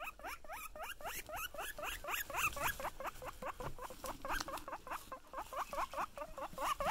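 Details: Pet guinea pigs wheeking excitedly on seeing their owner: a rapid run of short, squeaky, upward-sweeping whistled notes, about four per second, repeated steadily throughout with slight overlap between callers.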